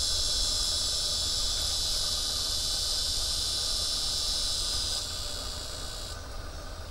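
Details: A cicada on a tree by the Arkansas River, recorded 12 September 2011, gives a continuous bright, hissing drone that holds level and then drops slightly near the end, over a soft low rumble, likely flowing water.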